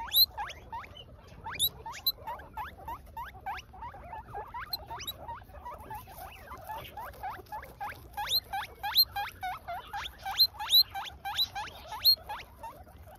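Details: Pet guinea pigs, with an adult 'auntie' taking grass from a young one, squeal in rapid upward-sliding wheeks, dozens in succession, growing louder and more regular toward the end over faint rustling.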